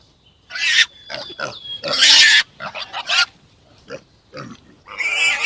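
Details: Farm pig uttering a rapid series of rough, broadband squeals and snorting bursts, the loudest lasting about half a second, separated by brief pauses.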